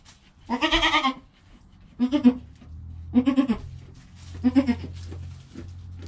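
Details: Newborn kid Joel, under an hour old, with mother Penny: a long trembling bleat, then three shorter wavering bleats spaced about a second apart, low rumble beneath.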